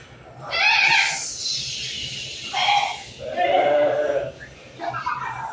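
Goats bleat in a series of wavering, nasal calls, with wind rushing in the background.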